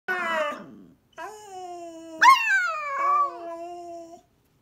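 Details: A young black-and-white female Siberian Husky puppy, learning to howl, joins her 10-year-old red-and-white piebald Siberian Husky sister in a howl: a wavering, tonal howl that breaks and slides in pitch.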